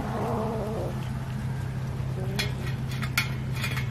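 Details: Cat being fed fish: a short, wavering mewing cry in the first second, followed by a quieter stretch with sharp clinks of dishes or cutlery and a low steady hum underneath.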